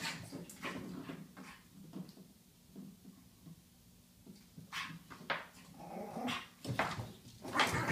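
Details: Pet pug Ollie worked up over his toy, uttering spaced snorting growls and whimpers with quieter pauses, plus toy thumps and scratching in a small room.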